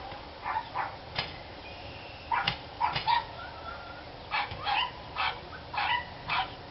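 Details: Dogs barking, recorded 29 March 2013: short, sharp barks come singly and in quick pairs, about a dozen over seven seconds, with uneven gaps between bursts, over a steady background hiss.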